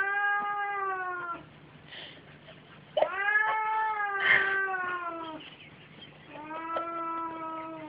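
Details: Two domestic cats, mother and son, playing together; loud, long harmonic yowls follow one another almost without pause, each sliding gently downward, with brief thumps and scuffles between calls and a constant low hum.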